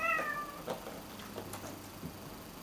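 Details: A pet cat meows once at the very start, a short tonal call that slides downward, followed by soft taps and clicks of indoor movement.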